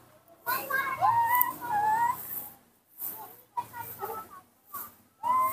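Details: Baby monkey Nomi calling when his father is not nearby: a run of clear, whistled, wavering notes near one pitch with bright overtones. Some rise and fall. They come in bursts separated by short silent gaps, with faint background hiss.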